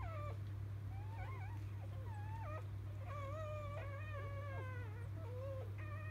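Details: Newborn field-type Labrador Retriever puppies just after birth, born to biscuit, the 2017 JFA Grand Champion, give high, wavering squeaky whines with rising and falling pitch, scattered irregularly over a steady low electrical hum.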